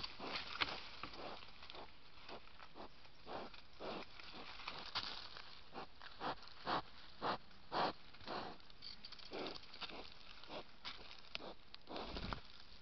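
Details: A wild boar sniffs beside a camera, a run of breathy, airy snuffles repeated roughly twice a second.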